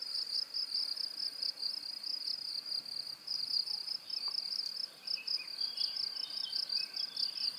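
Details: Cricket chirping offered as a high-pitched masking sound for tinnitus: a steady, shrill pulsing trill that runs unbroken throughout, with faint, brief twittering notes in the background near the end.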